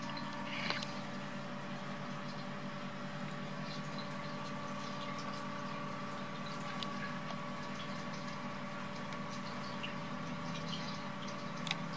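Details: A steady mechanical hum with liquid bubbling and trickling, like a pump or filter running indoors. No animal voice stands out.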